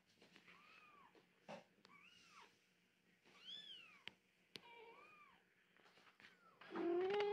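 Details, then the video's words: Several 15-day-old British Shorthair kittens of colour ns24, a litter of one female and four males, give thin, high, arching mews, each rising then falling, scattered through the stretch, ending in a louder, sustained squeal. "British Shorthair Kittens - 15 Days Old!"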